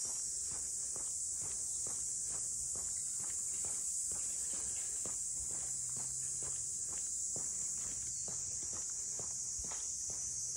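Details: In the waterfront townscape of Ine, north of Kyoto, cicadas keep up an unbroken high buzzing wash, overlaid by a brisk run of footsteps on pavement and a faint low hum.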